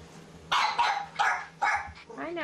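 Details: English bulldog puppies, seven weeks old, at a ranch, playing with toys and getting washed: a short run of high, sharp yips and whimpers in four bursts, ending in a rising whine, with a woman's soft voice nearby.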